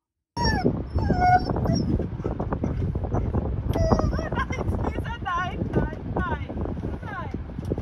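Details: Caesar, a husky who often "had a lot to say", especially about food or sheep, howls, then whimpers in high, wavering whines broken by short, sharp barks.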